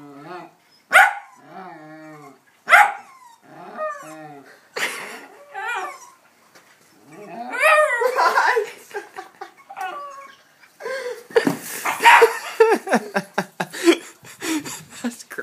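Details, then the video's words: Hamish, a pet dog, barks in excitement at a ball set on a small hill of sand: sharp, harmonic barks spaced roughly every two seconds, then a denser, rougher run of barks toward the end, with people's voices mixed in. "Hamish Barks at a Ball"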